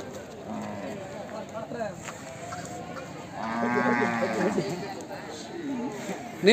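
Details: Hallikar bulls offered for sale at the Siddaganga fair in Nelamangala taluk; a harmonic low moo swells around the middle, with crowd chatter, voices and fair noise throughout.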